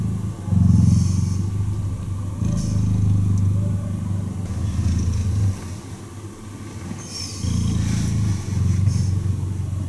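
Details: Purring cheetah during a cuddle, low throbbing rumble in bursts of a second or two separated by quieter pauses; faint higher chirps or voices flicker in the background.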